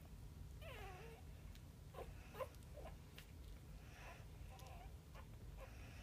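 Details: Ten puppies of mixed Boxer, American Bulldog and Labrador breeds whimper in high, wavering whines, each short and bending up and down, repeated in bursts under a steady low hum.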